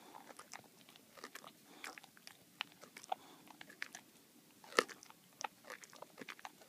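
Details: Baxter the boxer working on a bully bone in a small room, with loud crunching bites and wet gnawing clicks, one sharp crack standing out near the end.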